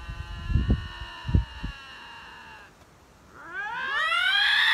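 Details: Two confronting lynxes, possibly in a territorial dispute: a steady droning wail fades out, then a new rising, quavering scream begins; a few low thumps early on.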